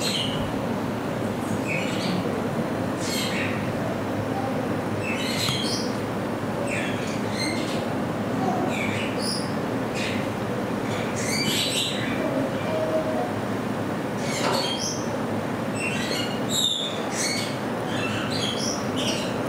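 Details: Captive degus, Saitama Children's Zoo, Japan, 15 September 2020. Quick high-pitched chirps and squeaks repeat irregularly through the clip against a constant background hum.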